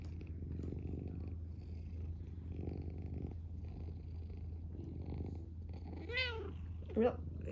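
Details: Purring from a male pet cat, a low rhythmic rumble pulsing with each breath, while a person's voice speaks briefly over it toward the end.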